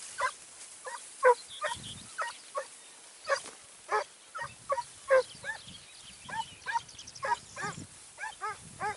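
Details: Segugio Italiano at Sofiko, Evros, 29 May 2019, giving a steady run of ringing, harmonic bays, single and in quick pairs roughly every half second, with fainter answering barks behind and some low rustling.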